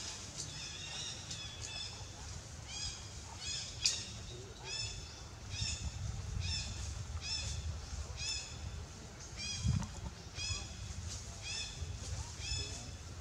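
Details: Baby monkey named Lewis screaming loudly to call its mother for help while in danger; high, harmonic, arching cries repeated roughly every second, with a low rumbling background and one sharp knock.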